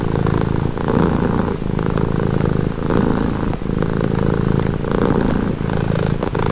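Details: Cat purring calmly: a rich, low, vibrating drone pulsing with each breath about once a second, with short soft breaks between cycles and nothing else heard.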